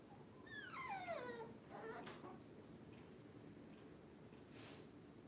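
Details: Puppy indoors while the power is out lets out one long, falling whine that slides smoothly down in pitch, followed by a shorter faint cry and soft breathy sounds in a quiet room.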